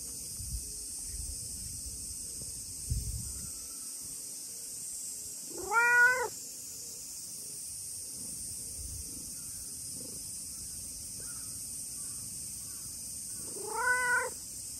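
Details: A talkative tabby-and-white stray cat greeting on a hot day: two clear, rising-then-falling meows, one near six seconds and another near fourteen, over a steady high hiss of cicadas or insects.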